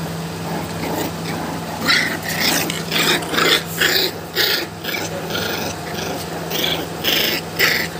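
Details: American Bully puppies, show quality, calling with rapid, irregular, sharp yelping bursts, roughly two per second, over a steady low electrical hum.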